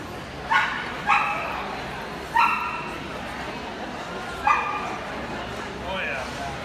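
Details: Samoyed barking at a dog show, March 23, 2019: five bright, clipped barks, with three early in quick succession, a pause, then one more and a softer trailing yelp near the end, against an indoor crowd hum and voices.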